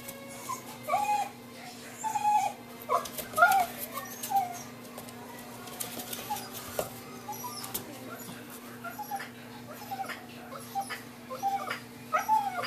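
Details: Female blue merle Miniature Australian Shepherd puppy, about 4 weeks old, indoors: repeated short, high whimpering squeals in small bursts, mixed with clicks and handling noises over a steady low hum.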